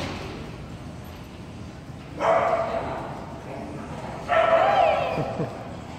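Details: Crunchy, an insecure female Jack Russell Terrier in a two-week board-and-train program, lets out two separate loud barks about two seconds apart, with quiet background between them.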